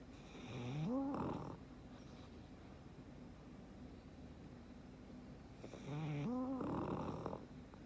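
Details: Frank, a sleeping black pug, snores twice about five seconds apart, each a rising whistled wheeze followed by a harsh rasping exhale, with quiet breathing between.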